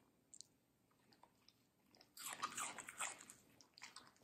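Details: A female Samoyed named Middle eating sweet, crunchy watermelon indoors. Near-quiet with faint clicks at first, then a sudden burst of loud, juicy crunching and squishy chewing halfway through, easing into softer bites.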